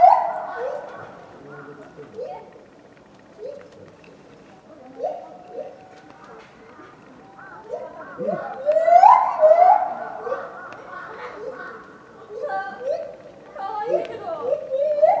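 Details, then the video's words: Mitsu, a lar gibbon at Tama Zoological Park, recorded February 2020, gives repeated short rising hoots with a loud, climbing wail near the middle, then more hoots. Soft background chatter and noise run throughout. "鳴くシロテテナガザル「ミツ」（多摩動物公園） Lar Gibbon Voice"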